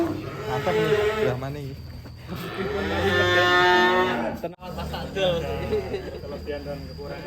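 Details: Colourful cows, cattle lowing in long drawn-out moos with a buzzy, wavering tone, overlaid with background music and a brief cut.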